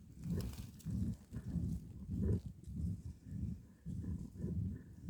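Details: Badger during a fight, uttering low rough grunts repeated almost twice a second in an uneven, panting rhythm, with no other clear sounds.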